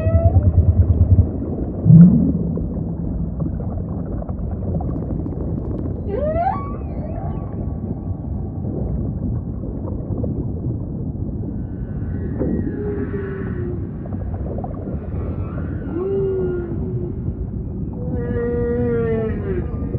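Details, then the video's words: Sparse humpback whale song units in a rumbling ocean background: a brief rising squeal, scattered short moans and bent tones, and a pulsed harmonic call near the end. "Majestic Whale Song · beautiful humpback"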